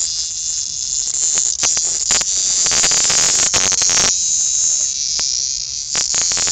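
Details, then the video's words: Very loud cicada hunted down by kittens, giving a steady, high, hissing buzz that runs without a break, with scuffing and handling noises from the play cutting through it. "Kittens playing / hunting a Cicada.Warning LOUD!"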